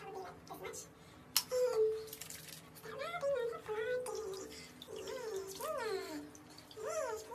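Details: Greedy domestic guinea pigs (Cavia porcellus) squeal in a small room, with a loud knock early on, then arching rise-and-fall whistled wheeks repeated roughly once a second toward the end.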